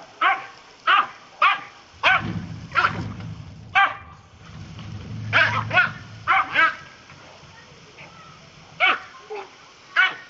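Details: Doc, a pet Dachshund, yaps excitedly while playing with water poured on him. About a dozen sharp barks come in rapid clusters, and a low rumbling rush of water runs beneath the middle section.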